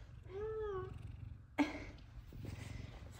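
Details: An F2 Savannah cat, one of the pair Kumba and Zara, greets its owner home from work with a single clear meow that rises, then falls, over half a second. A sharp click follows, over a low purr-like rumble.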